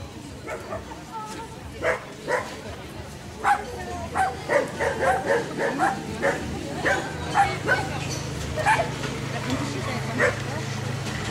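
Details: Dachshund with a rabbit, giving a run of sharp yelping barks, roughly a dozen in eleven seconds at uneven intervals, over a low steady hum with people talking in the background.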